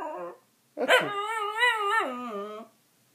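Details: A Dachshund singing indoors in a small room: a short yelp, then a long wavering howl of about two seconds with rich harmonics that slides down in pitch at the end.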